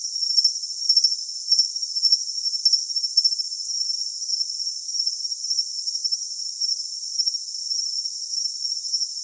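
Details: High-pitched cricket chirps come in short, evenly spaced bursts for the first few seconds, then settle into a continuous shrill ringing tone over a steady hiss.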